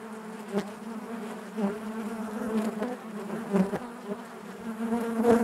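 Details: Honey bees humming inside their hive: an unbroken low buzzing drone with overtones, gradually growing louder, punctuated by a few sharp clicks.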